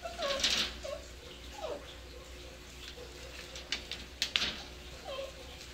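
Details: Seven-week-old dachshund-basset mix puppies at play indoors give short, thin whines and squeaks, one sliding downward, scattered through the clip among soft clicks, taps and rustling.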